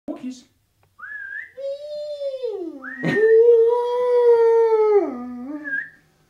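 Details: An old pet dog howling indoors alongside its owner: sliding, drawn-out tonal wails that rise then hold steady and fall away, with a high whistle-like tone mixed in between the howls.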